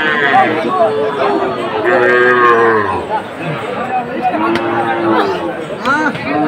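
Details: At a Bangladeshi cattle market in Chattogram on 7 September 2024, a Sahiwal bull gives a sustained, harmonic moo lasting about three seconds, followed by a shorter low, with people talking throughout.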